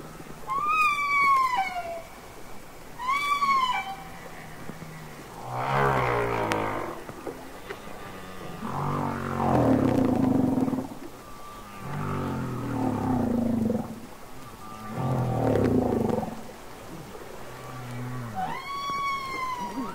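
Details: Humpback whale song recorded underwater, Capitol Records ST-620: bright arched cries that rise then fall, alternating with deep pulsed grunting rumbles and moans in a slow repeating pattern.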